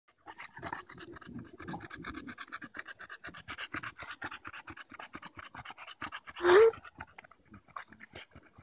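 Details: Daisy the Bulldog pants rapidly while playing with a branch on a July 2014 walk in Erindale Park. Quick rhythmic breaths come in an even series, broken by a short loud vocal burst near the end.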